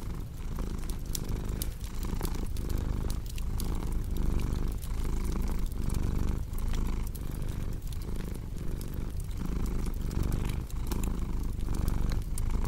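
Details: Domestic cat purring beside a crackling fireplace in a relaxation mix: a steady low rumble that swells and dips with each breath, about every two-thirds of a second, overlaid with sharp pops and snaps from the fire.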